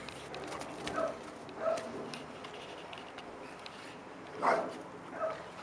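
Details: Young Labrador Retriever, eight months old, named Bleka, learning to retrieve a thrown stick; two short barks early on, a pause, then two more barks, the third the loudest, against faint background hiss.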